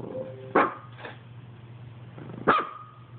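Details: Indoor dog barking at an Xbox, two sharp barks about two seconds apart with a faint softer bark between them, steady low hum underneath.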